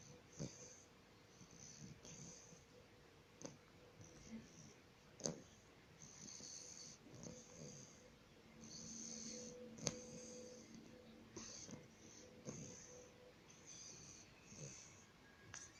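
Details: Sleeping bulldog snores in a long, irregular run of raspy, wheezy breaths, each a hissing puff with a rough low rattle, some louder snorts standing out, and a faint steady hum in the background.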